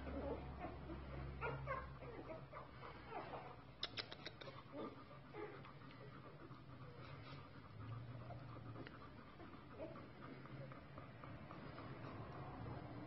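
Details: Newborn Golden Retriever puppies give soft, squeaky whimpers and mewing cries while their mother feeds them, over a low background rumble.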